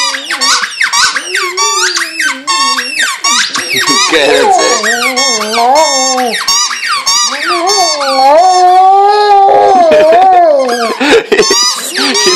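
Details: Indoors, a male pet Vizsla whines and howls at his squeaky toy. Wavering howls rise and fall under dense bursts of toy squeaking, while a woman keeps talking to him.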